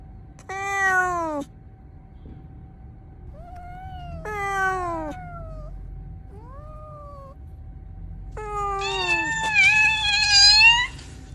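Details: Cat meowing from a bamboo tree while looking for food and drink: three loud descending harmonic meows about four seconds apart, with fainter rising mews between and a final long wavering call, over low background rumble.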